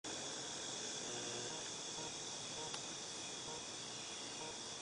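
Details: Cicadas recorded in August 2018 in a steady, unbroken high-pitched drone that hisses on without pause, with a faint rough wash of lower background noise and a single brief click near the middle.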